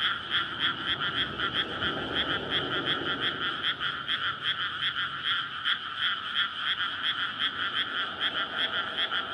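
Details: Frogs calling in a dense chorus at night in May from a flooded rice paddy before planting, surrounded by housing, recorded on a SONY PCM-D100; courtship to spawn. Rapid overlapping croaks pulse steadily, with a low rumble of traffic beneath.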